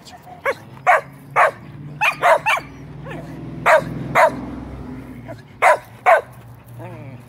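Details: Pet dog reacting to a passing fire truck siren, giving about nine sharp barks in uneven bursts, some paired, separated by short pauses, over a steady low electrical hum in the room.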